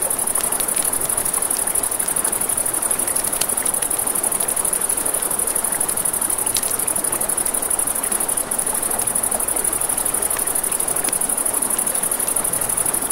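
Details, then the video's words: A continuous piercing trill of crickets at night by a river, accompanied by sharp campfire pops and cracks and steady rushing water. "Crackling Fire, Crickets, Ambient Nature Sounds"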